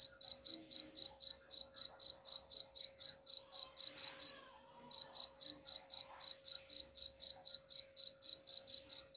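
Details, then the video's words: Cricket giving rapid, high-pitched chirps about four per second, meant to scare off rats; the even pulse train breaks for about half a second midway, then resumes, with a faint low hum throughout. "suara jangkrik pengusir tikus ampuh"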